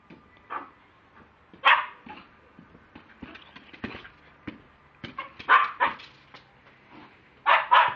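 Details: A Lakeland Terrier recorded on a mobile phone gives sharp, harsh barks at irregular intervals, with faint scrapes and small noises in between.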